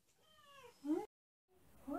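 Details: Female pet cat, hungry, guiding her owner to her favorite food; a drawn-out descending meow that rises into a sharper cry, then after a pause another rising meow, with a person talking to her.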